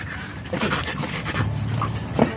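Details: Stud-session German Shepherd at Nalsian, Manaoag, Pangasinan, panting in quick breathy bursts, with a brief low hum and a short sharp squeak near the end.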